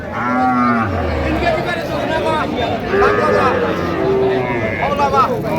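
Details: Cow at a cattle market in Raniganj, Dinajpur, where cows with calves are being sold on 4 September 2025: a low, drawn-out moo that drops in pitch near the start, followed by men bargaining over milk yield and price.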